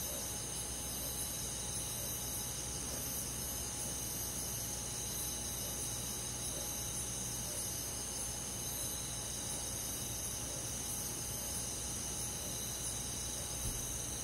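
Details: Rural summer-night insect chorus led by crickets in woodland: layered high-pitched trills blend into a steady shimmering wall of sound, with a faint constant hum underneath.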